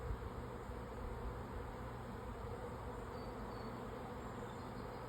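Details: On 24 May 2024 an incoming honey bee swarm, still about 50 feet up and circling before settling, fills the air with a steady, dense, low droning buzz; possibly from neighbourhood or feral hives.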